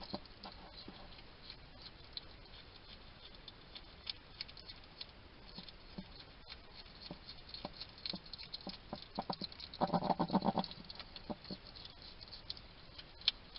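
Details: Eating noises from a wild hedgehog at a feeding station in a Somerset, UK garden: rapid ticking chatter that builds into a dense, louder crunching burst near the end, over constant low hiss.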